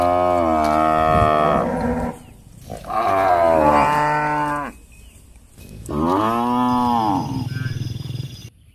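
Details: Cows hunting for food in a housing complex moo three times in close succession, long full calls with dense harmonics, the first deep and buzzy, the last arching up then down.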